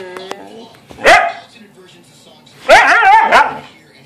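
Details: Siberian Husky vocalizing during play with its owner: a short, sharp bark-like yelp, then after a pause a longer, loud, wavering, yodel-like harmonic call that bends up and down in pitch; quiet room otherwise.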